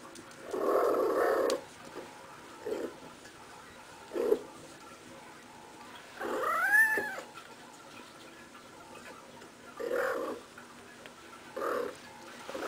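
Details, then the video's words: Female cat rolling around while playing indoors, uttering soft chirps and one longer arching meow, about six calls spread across the stretch, with a woman's voice nearby. "Playful Kitty Makes Cute Noises!"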